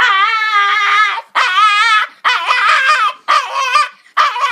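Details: A dog named Sushi begs for popcorn with loud, shrill, quavering screams, five wailing bursts in under five seconds, each broken off abruptly before the next starts.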